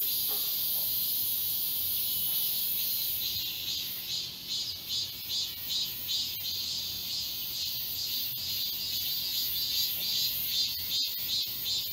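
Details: Galsan Park cicadas, Seoul, chorusing in midsummer woodland: a smooth high hiss that breaks into distinct rhythmic pulses several times a second, overlapping callers, and occasional sharp clicks near the end.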